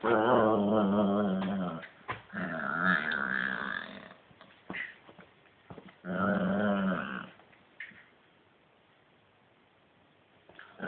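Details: Playful growling from Hedvig, an Italian greyhound, in two long bursts of rich, wavering, moaning growls lasting about two and four seconds, a third burst after a pause, with brief snuffles and a quiet indoor stretch toward the end.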